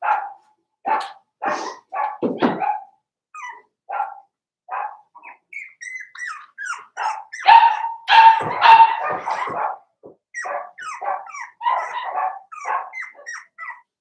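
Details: Litter of four-week-old Cavalier King Charles Spaniel puppies indoors in a pen, yapping steadily with sharp high barks and thin yips, about two per second at times, one drawn-out whine in the middle.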